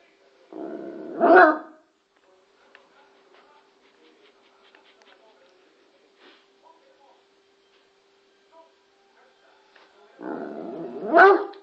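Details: A Bloodhound barking at the TV indoors; two deep, loud barks, one near the start and one at the end, separated by a quiet stretch with faint background sounds and a steady hum.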